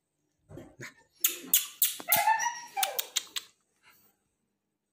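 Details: American Bully dog giving a burst of short yelps and whining barks, some with a rising then falling whine, clustered over about two seconds with quiet gaps before and after.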